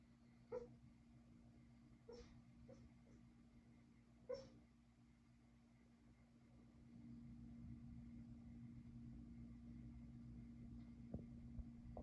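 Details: Kumo the Keeshond, asleep and dreaming, lets out soft squeaky whimpers: four brief high yips within the first five seconds, then near-quiet, all over a constant low room hum.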